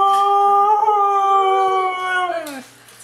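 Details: Female Siberian Husky 'talking' during a morning greeting indoors, a sustained tonal howl-like vocalisation with rich harmonics, slightly wavering then sliding downward at the end.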